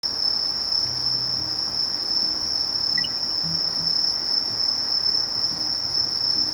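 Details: Sasakiri katydid, Conocephalus melaenus, singing a steady, unbroken, high-pitched ringing trill with a faint pulsed shimmer above it, continuing without pause over a low soft rumble.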